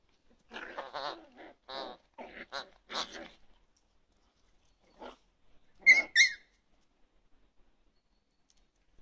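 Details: Toy poodle growling in several short, rough, pulsing grumbles over about three seconds. A faint grumble follows, then two sharp higher yips near the six-second mark, with near silence around them.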